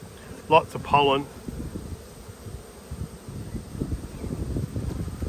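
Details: Honey bee colony buzzing during a hive inspection dated 19/3/22; a brief burst of human speech opens, then a continuous low, rough hum fills the rest, growing slightly louder toward the end.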